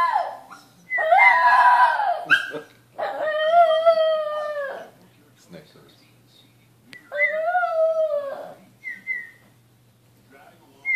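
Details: Shih Tzu howling early on a Saturday morning alongside a whistling husband: three drawn-out howls that waver and slide downward, with quiet murmuring and short whistled notes between them.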